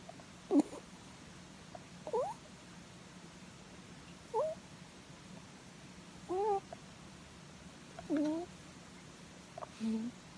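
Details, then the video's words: Pet rabbit asleep and content while being stroked on the head, giving soft 'puu puu' snoring cries: short tonal squeaks, slightly rising or bending, repeated roughly every two seconds over a quiet indoor background. "Snoring Rabbit｜いびきをかくうさぎ"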